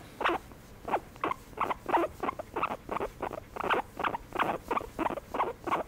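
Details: Domestic guinea pig being given a massage, producing a run of short, broadband squeaky chirps in quick succession, about eleven bursts over six seconds at an uneven pace, with no other clear sounds.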